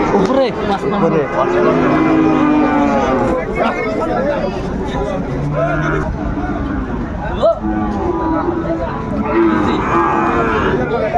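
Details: Sahiwal bull calves at a cattle market where a Dhaka farmer is buying, 20 January 2025: low, drawn-out lowing rises now and then through a steady din of crowd chatter and bargaining voices.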